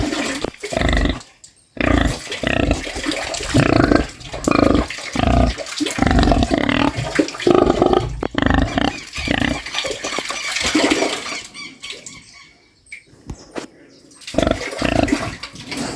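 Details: Farm pig snoring: rough, low harmonic grunting bursts repeated in quick rhythm, some pauses between runs, with a hiss-like wet texture over the noise.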